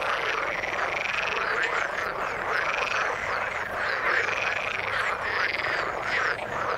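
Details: Dense frog chorus from the water: countless croaking, trilling calls merge into a constant rolling wall of sound, with rhythmic swells every second or so.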